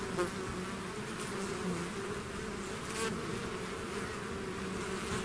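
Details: Bees swarming out of the hive make a constant droning hum, with a few sharper close passes cutting through the even buzz of many wings.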